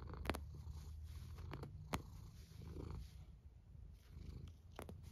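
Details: Cat snoring: a deep, even murmur close to the floor of hearing, rising and easing with each breath, broken by brief sharp ticks.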